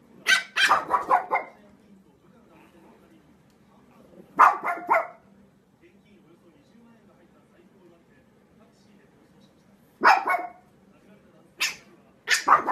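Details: Pekingese dog barking indoors in short bursts of two to four sharp yaps, with long quiet gaps between groups and a faint steady hum underneath.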